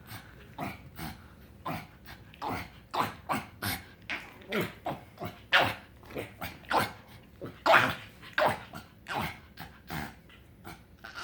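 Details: Frank, a pug, making weird noises out of happiness: many short huffing, yappy grunts and snorts in a steady stream, roughly two dozen bursts with a few louder squeaky yelps.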